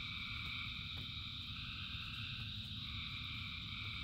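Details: Brief stretch of a huge frog chorus in rain, many voices blending into continuous layered trilling, over a low, grainy rain background.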